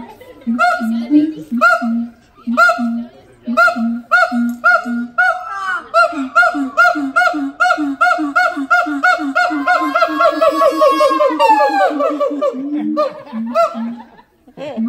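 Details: Captive siamang pair, father and mother, singing together at the Los Angeles Zoo while their youngster stays silent. Deep, booming hoots repeat about twice a second, then swell into a long run of rapid rising barks with a sweeping scream before the hoots return.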